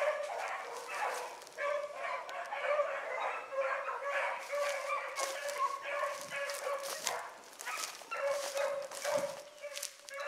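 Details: Morning rabbit run by a group of young hounds, among them Ringo, Mingo and Choco; overlapping bawling bays and high yips pour out almost without break, the chorus swelling and easing over ten seconds.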